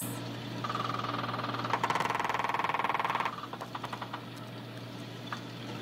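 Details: Cusk eel mating call: a rapid, buzzy train of knocking pulses that slows into separate knocks, with a man speaking at the end; cusk eel.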